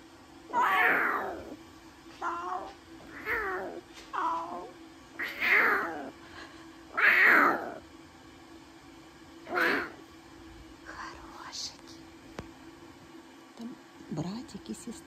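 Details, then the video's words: Newborn lion cubs, a brother and sister, in captivity at Taigan, giving a run of short, rising-then-falling mewing squeals, roughly one every second or two, some louder and strained, over a steady low hum. "Новорождённые львята - разговорчивое чудо!"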